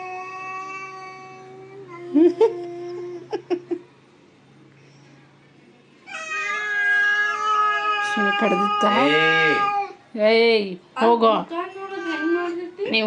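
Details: Domestic cat fighting another cat: low steady moaning yowl, then louder swelling caterwauls with wobbling pitch, interrupted by sharp bursts of people shouting and laughing in Kannada.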